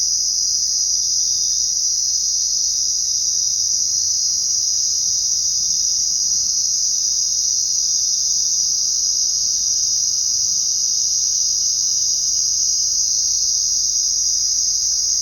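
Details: Crickets chirping at night in a dense, steady high-pitched trill that carries on without a break.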